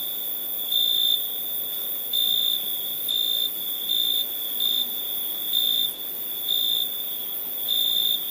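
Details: Night crickets give a continuous high-pitched trill, brightening into louder bursts roughly once per second in a regular pulsing rhythm, with no other clear sounds.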